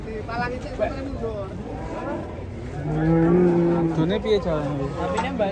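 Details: Cattle being unloaded from a truck in rain, giving a long low moo with steady harmonic bands, rising in loudness around the third second, over a background of other cattle calls and faint voices.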